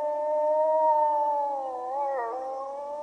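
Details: Wolves howling in chorus, recorded to encourage pet dogs to join in: several long, smooth, sustained howls overlap at slightly different pitches, holding level before one voice dips and wavers near the end.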